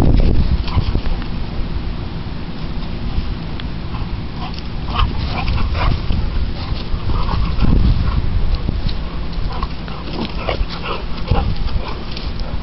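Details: Dallas, an American Bully, and Sadie, a Boxer, tug at a rope together; dense low rumbling play noises run throughout with scattered brief sharper bursts, while a man's voice calls the dogs and urges them to give up the rope.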